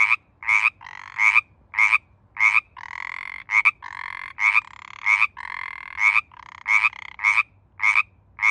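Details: Pacific chorus frogs in mating season, several overlapping: sharp two-note ribbits mixed with longer drawn-out trilled calls, busy and uneven in rhythm.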